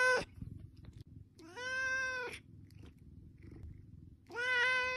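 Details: Cat asking for food, with a clipped meow at the start, then two full-length harmonic meows, the last slightly rising, and a soft low hum filling the gaps.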